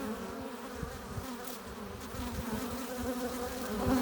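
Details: Steady drone of honey bees at a hive entrance, workers arriving with pollen and nectar; layered humming tones hold throughout, growing slightly louder toward the end as a bee passes close.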